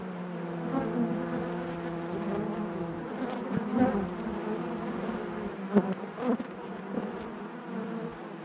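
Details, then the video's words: Inside a honey bee hive, a continuous droning hum is heard with clear tonal layers. Short louder buzzes from single bees flare up now and then, with a couple of sharp close passes near the end. "bees therapy hive natural buzzing sound"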